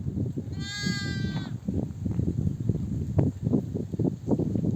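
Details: Mother sheep in a nomadic flock, returning from desert pasture, bleats to call her lambs to nurse: one clear wavering harmonic bleat of about a second, over steady low rumbling and footsteps of the flock.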